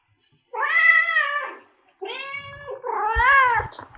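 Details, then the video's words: Domestic cat meows offered to attract cats: three drawn-out harmonic meows, the first long and arched, the next two shorter, with a faint low thump under the last one. "Meows to ATTRACT Cats (Meow Sounds to Attract Cats). Cats Meowing Sound Effects. Kitten Sounds"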